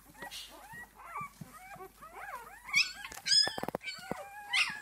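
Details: Six-day-old puppies of Esmée give thin, curved whimpers in quick succession, several voices overlapping, with a burst of sharp clicking or handling noise midway and a high squeal near the end.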